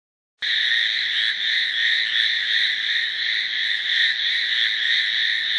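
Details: Hallowell's tree frogs in a dense chorus: a steady, loud rasping drone with rapid pulsing at about three beats per second, continuing without pause. No other sounds stand out.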